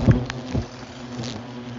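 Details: Asian hornets swarming from a nest hidden at human height in a bush, attacking everything that moves; a low, steady droning buzz with a humming overtone, broken by a few sharp knocks and rustles near the start.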